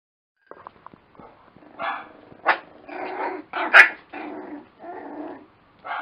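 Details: Lakeland Terrier puppies giving a run of rough growls and short yappy barks, some notes sharp and high, bursts coming every second or so with brief gaps between them.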